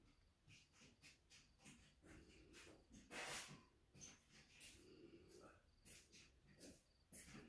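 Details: Two young meerkat (Suricata suricatta) pups, dreaming while being held, give soft, irregular squeaks and snuffly breaths in short bursts.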